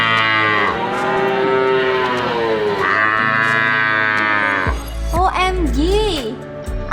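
A buffalo gives two long, deep, droning moos, followed by a brief burst of music and voices.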